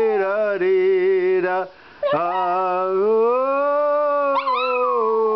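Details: A twelve-year-old Maltese terrier dog in Melbourne, Australia, sings along to Danny Boy or the Star Spangled Banner, producing sustained, slightly quavering howls that rise gently, break off briefly, then glide upward again alongside the music.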